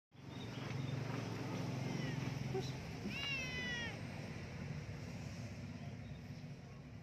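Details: Himalayan cat, a cute one met by chance, gives one short meow with falling harmonics about midway through. A faint earlier mew comes before it, over a steady low hum and some nearby speech.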